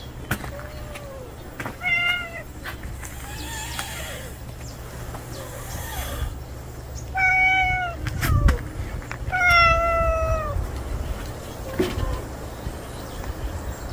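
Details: An unfamiliar male stray cat that has just appeared meows five times in about ten seconds: drawn-out, clear, harmonic cries, some rising then falling, over a low steady background hum with scattered clicks.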